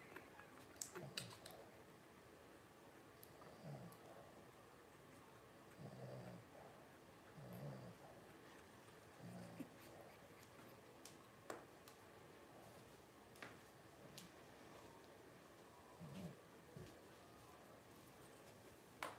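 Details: Five 12-day-old Blenheim Cavalier King Charles Spaniel puppies, first litter of Paris and Spike, born New Year's 2023, indoors; soft low grunting murmurs come in short bursts every second or two, with scattered faint clicks and rustles between.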